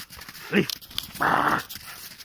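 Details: Belgian Malinois dog giving a single short, sharp bark, followed about half a second later by a broader, rougher burst of sound in a quiet indoor setting.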